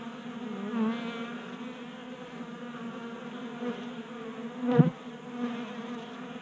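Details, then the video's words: Honey bees at a 3D printed feeder in a Colorado garage on a mild January day, burning winter fat stores. A soft buzz of wings with passing pitch shifts as bees move, and a brief louder knock near the end. "45 Minutes of Honey Bees Feasting from 3D Printed Bee Feeder"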